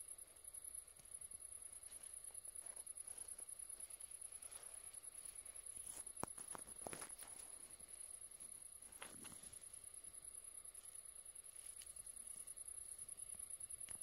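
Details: Great green bush-cricket (Tettigonia viridissima) delivering a steady, unbroken high-pitched sizzle throughout, with soft rustling and footstep-like thuds in the background.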